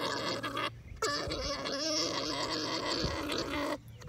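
An alpaca makes a continuous, throaty, gargling drone during mating.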